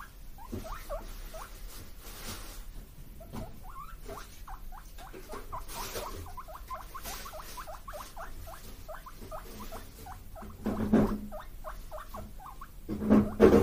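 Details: Two pet guinea pig brothers, Kotaro and Kinako, born 31 March 2022, calling eagerly for vegetable treats: a long run of short rising squeaky whistles, about 200 a minute, with soft background rustle and a few louder knocks near the end.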